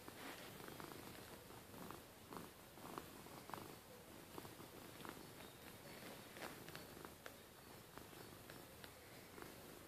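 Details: A pet cat purring at bedtime indoors: a soft, steady low rumble with faint rhythmic pulses, quiet and continuous throughout, with light rustling.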